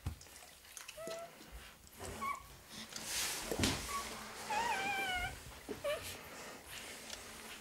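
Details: At a Sicilian kennel, Rottweiler puppies (Canis lupus familiaris) kept with their mother and siblings give high, thin whimpers and squeaky whines in short, uneven bursts.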